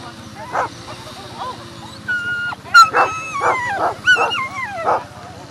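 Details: Whippets at the FCI European Championship 2018, where Fierce Fireball Crybaby and Fierce Fireball Blaze competed; sharp yelping barks come in an irregular burst, mixed with high wavering whines that slide downward, over a steady murmur of voices.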